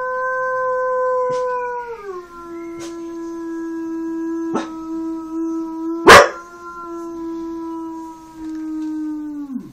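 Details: Lilly, a Standard Poodle, gives a long, steady howl that drops in pitch once, then holds almost flat, in a howling competition against a man imitating wolves.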